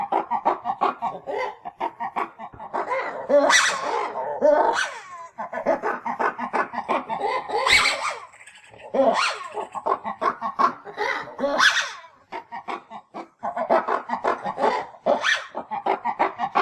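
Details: Lemur calling: dense, chattering grunts and nasal barks come in rapid, uneven bursts, with occasional sharper, louder yelps rising above the stream.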